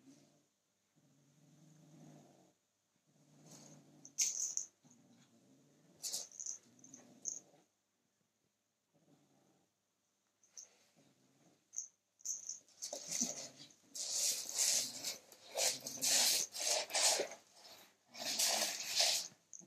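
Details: Male kitten growling to guard his toy as someone tries to take it: low, rumbling growls in several bouts over the first seven seconds, then loud rustling and scuffling noises fill the rest.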